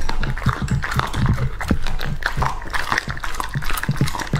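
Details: Two-and-a-half-year-old male English Labrador Retriever eating raw meat indoors. There is steady wet chewing and smacking, with quick crunching bites repeating several times a second and occasional louder snaps.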